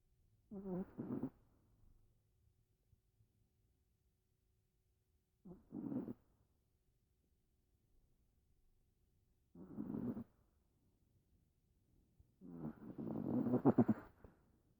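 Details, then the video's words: Sleeping pet dog snoring: four separate low, rumbling, slightly nasal snorts spaced about four seconds apart, the last one longer and louder, with quiet pauses between. "Our dog snoring"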